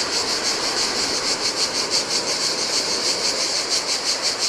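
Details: High, pulsing cicada drone in the heat by the Adriatic Sea on a Greek island beach, throbbing about three times a second above a muffled rush of breaking waves.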